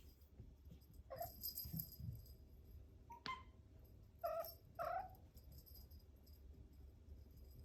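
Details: A male Ragamuffin red tabby kitten in Japan meows because it wants to get into a room; four brief, fairly soft mews, one a sharp upward sweep, are spread over several seconds, with low rumbling room noise and faint rustling between them.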